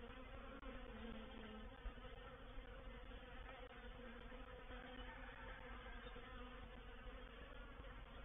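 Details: Dense, continuous buzzing of a honey bee reproductive swarm entering a bait hive at Painted Peacock Manor on 04/07/21. The hum holds an even, low pitch throughout, with no other sounds.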